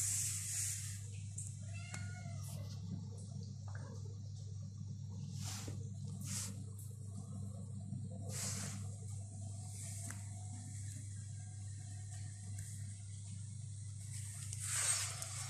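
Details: Egyptian stray cats, a mother and her kitten, exploring an apartment after eating; a few faint, short meows rise over a steady low indoor hum, with scattered clicks and rustles.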